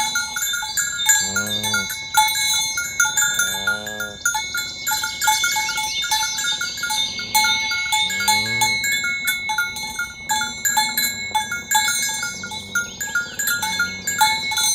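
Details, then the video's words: Herd of tame cows driven along village roads toward their pen one morning, calling companions to gather; a few separate drawn-out moos rise through near-constant clanking, ringing cowbells. "Suara sapi lembu berkeliaran di ladang rumput hijau memanggil kawan untuk berkumpul - Bunyi sapi"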